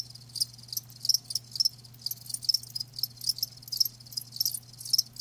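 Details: Live crickets give crisp, high-pitched chirps in short rhythmic pulses, several per second in loose groups, with a low electrical-sounding hum beneath.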